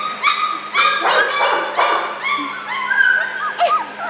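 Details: Several puppies about four weeks old, described as happy little guys, whine and yip over one another in high, wavering, bent tones, with overlapping short cries and rising squeaks throughout, plus a steady low hum underneath.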